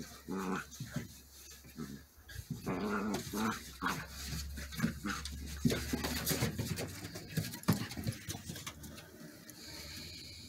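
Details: Border Collie puppies play fighting, pouncing and stalking indoors: bursts of low rumbling growls and snarls with yips and whimpers, irregular and overlapping, with scuffling noises throughout.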